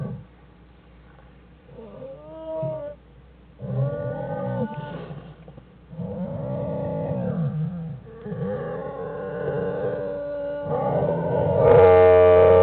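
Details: Inside the den on January 1, 2013, American black bear Jewel's cubs Fern and Herbie give a series of arching, moaning harmonic wails in repeated bursts, building to a loud, strained final cry.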